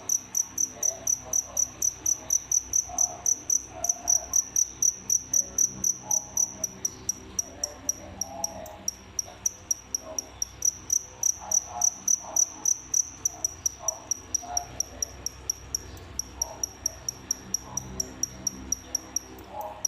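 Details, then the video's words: Captive indoor crickets, a pair that killed the rest of the feeder batch, producing fast, continuous high chirping of nearly four chirps per second for a long stretch, over a low room hum. "What crickets really want making such noise"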